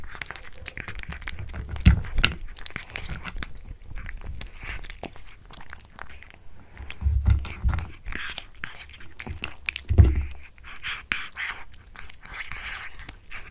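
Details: Domestic cat chewing a tuna mini stick treat inside a small room, steady soft crunching and biting with stronger bites near two, seven and ten seconds, faint rustle in the background.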